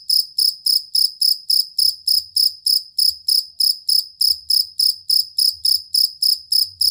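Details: Jangkrik kalung or fighting cricket, used to teach songbirds new sounds, producing an unbroken, evenly spaced run of bright, high-pitched chirps, around three and a half each second, with a faint low rumble in places.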